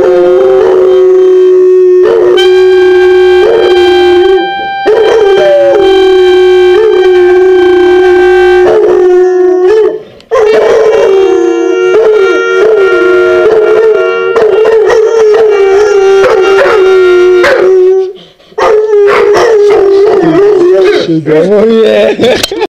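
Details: Two Labrador Retriever puppies howl together in long, wavering notes, singing along while their owner plays steady clarinet tones.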